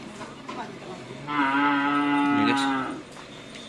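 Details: Cattle at a karapan sapi bull race training session at Asemanis field, Pamekasan, Indonesia: one steady, harmonic-rich moo lasting about a second and a half, level in pitch, faint background chatter before and after.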